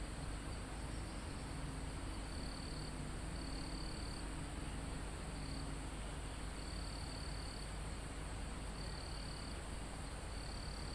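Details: In a mountain forest close to the top, crickets are recorded live. Irregularly spaced high buzzy chirping bursts, about six, rise over a steady shrill background hiss and soft wind moving through the trees.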